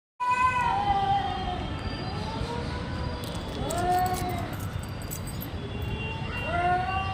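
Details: Two cats fighting, giving long, drawn-out harmonic yowls that slide down in pitch, with three or four wavering cries spread across the stretch over a steady low background hum.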